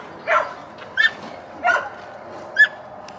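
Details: Alaskan Malamute sled dogs racing a hundred yards together; four short yelping barks spaced irregularly, some sharper and higher, over a faint background hum.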